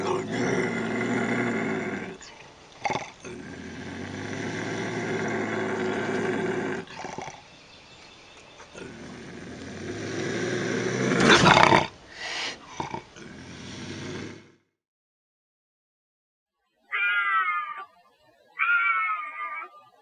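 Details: Bobcat howls and growls used as a raccoon and rodent deterrent: a long, loud, harsh growling yowl with rich harmonics surges and breaks off over about fourteen seconds, then after a pause come two short, higher wavering cries.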